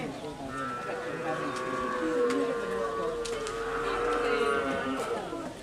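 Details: Madura bull used for karapan sapi racing, raging during practice at the Asemanis track in Pamekasan, Madura, East Java, Indonesia; a long steady low bellow held for about four seconds, with men talking and clatter behind.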